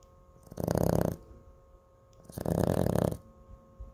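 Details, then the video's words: Cooper, a pet Chihuahua, snoring loudly; two harsh, rattling snores about two seconds apart, each lasting roughly half a second, over a steady low background hum. "MOTORCYCLE CHIHUAHUA"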